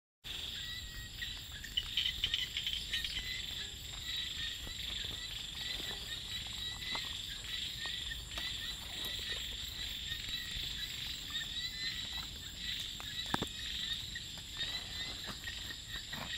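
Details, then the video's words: Frogs calling at night in rice fields, blended into a dense steady chorus with insects: high continuous ringing tones and scattered short clicks and croaks throughout, with no clear single caller standing out. "เสียง เขียด จะนา เรไร ยามนอนนา"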